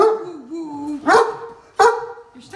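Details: Max, a deaf Great Dane stuck on a golf cart, complains about having to get off, not wanting to back up or jump off: a drawn-out, wavering, mid-pitched moan, then two short, sharp bark-like bursts.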